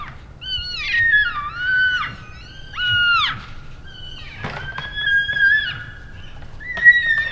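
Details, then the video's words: {'caption': "Loud, drawn-out whistling squeals from elk bulls practising sparring after the rut in late January, Canada's Rockies; tones slide down then hold, several overlapping, with a couple of sharp knocks."} "Vocal Elk Bulls Sparring After the Rut"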